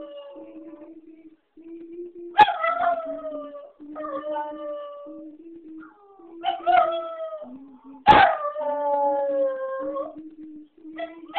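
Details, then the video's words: Young female Jack Russell Terrier, six months old, answers a recording of herself howling; sharp yelping onsets swell into drawn-out, gently descending howls, three main bouts, while the quieter, even-pitched replayed howls carry on underneath. "Jack Russell howls"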